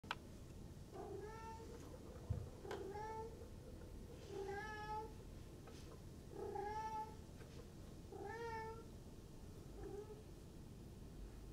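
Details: Four-month-old silver Maine Coon kitten at a Tokyo breeder, indoors, giving a series of about six short, high meows, each slightly falling, spaced one to two seconds apart in a quiet room.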